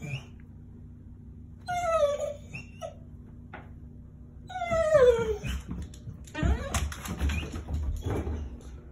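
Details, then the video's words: Excited dog making high, sliding whines that fall in pitch, two bursts a few seconds apart, followed by rustling and scuffling noises indoors. "Excited dog noises"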